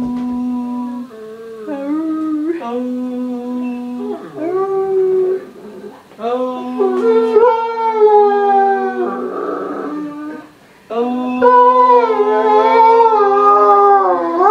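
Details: Irish wolfhound Doogan indoors 'singing' about his day as the family returns home, drawn-out tonal howls and yowls rising and falling in pitch, some wavering, broken by brief pauses in a small room.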